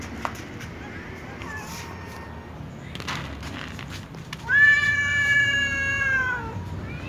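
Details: Two domestic cats, a tom and a ginger, meowing loudly at each other before eating together; a faint short meow near the start, then one long, loud, drawn-out harmonic meow that holds steady and slowly falls, with quiet background noise.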